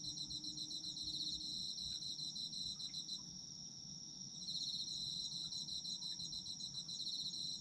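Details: Autumn insects in a dense chorus: a steady high, shrill ringing runs throughout, overlaid by rapid pulsed trills that stop briefly around three seconds and then resume, above a faint low background rumble.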